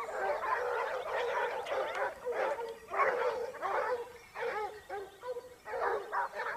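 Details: Pack of Basset Hounds from Topsfield Lebrera hunting in Spain in their second year, 2015-16; loud clustered bays and yelps in bursts roughly every second and a half, several dogs calling together, with short gaps between bursts.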